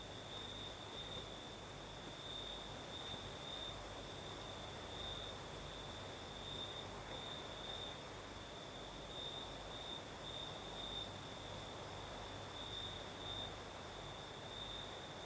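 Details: Night chorus of crickets in southern Crimea: a continuous shrill trill that swells and fades slightly in pulses, with a fainter very high band on top and a constant breezy hiss underneath.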